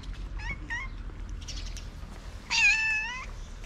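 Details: One of six hungry cats at feeding time in a small Moroccan shelter for abandoned cats and kittens: two short, quick meows, then a pause and a longer, louder, wavering meow held for nearly a second, over faint background rustle.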